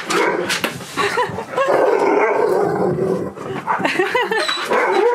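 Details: Husky Key greeting friend Sherpa on his birthday: continuous warbling, yodel-like vocal sweeps that rise and fall again and again, tangled with excited human voices and background noise.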